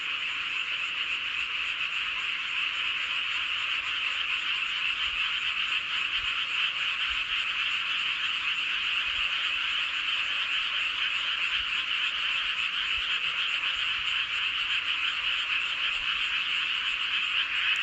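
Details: Frogs chorusing under a full moon at Seowon-myeon, Hoengseong County, Gangwon Province, South Korea: a dense, unbroken wall of croaking trills, bright and high, steady throughout with no pauses and no other clear sounds.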